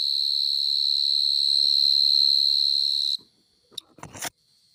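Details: A loud cricket that burrows into the ground calls in a garden in the evening. Its steady high piercing tone runs for about three seconds, then stops abruptly and gives way to a few rustling clicks and knocks.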